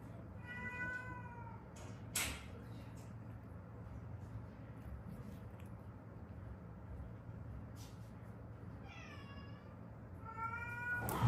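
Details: Stray cat from a mother-and-daughter pair that survived seven years in Haeundae with accident-broken bones, later rescued; three harmonic meows: one early, then two more near the end, over a steady low hum in a quiet room.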